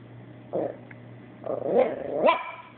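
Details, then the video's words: Female pet Chihuahua complaining after a Yorkie housemate took her toy away: three short vocal bursts, grumbling growl-like noises swelling to a rising, whiny yelp near the end, over a steady low electrical hum. "Chihuahua Talking and Complaining"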